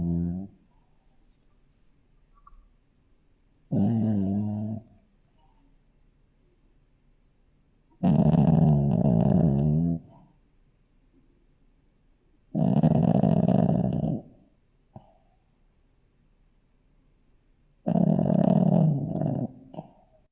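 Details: Sleeping Shih Tzu puppy snoring steadily. Five rough, low, buzzing breaths come roughly every four to five seconds, each lasting one to two seconds, with quiet gaps between them in a hushed room.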